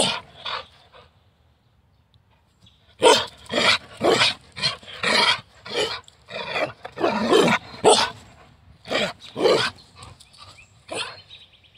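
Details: Morning play of a Carolina dog, the American dingo: after a short pause, dense excited barking breaks out, rough and rapid, several barks a second with harsh, growly edges.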